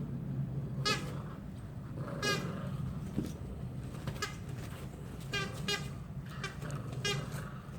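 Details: Poodle brother and sister tugging at a toy together. Clusters of quick, squeaky, harmonic yaps come in bursts, several close together near the end, over a steady low hum.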